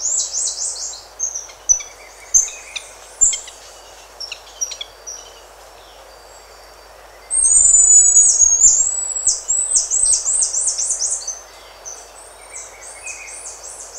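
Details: Buffy-headed marmoset contact calls and other calls, birds and insects in the background: quick runs of very high, thin down-slurred chirps, scattered and soft at first, then a loud rapid burst in the middle lasting several seconds.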